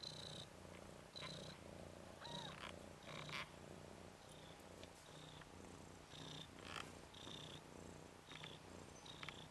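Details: Red/cream colourpoint Ragdoll kitten Nikita, male, 10 days old, from Zaphirra's litter of three boys, tumbling on his back. A continuous low purr is mixed with scattered high squeaks and rustling.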